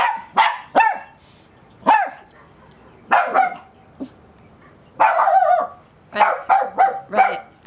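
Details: A 5–6-month-old male Cavalier King Charles Spaniel puppy on his first morning at daycare gives sharp, high-pitched barks in irregular bursts during a barking contest with an old toy poodle.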